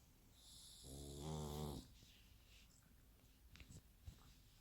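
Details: Pug snoring like a person: one drawn-out rasping, low snore lasting about a second, with faint rustling afterwards.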